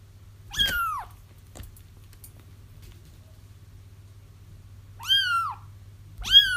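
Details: Crying kittens whose calls can help trap their feral mother: three loud, downward-curving mews, one early and two close together near the end, separated by a long quiet gap with a low steady hum.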